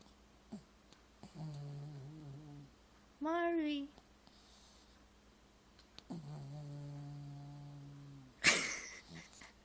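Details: Marvey the pet dog snoozing indoors while A Muppet Christmas Carol is on: two low, buzzy, drawn-out snores, one over a second and one over two seconds, with a brief higher voice-like sound and a sharp knock between.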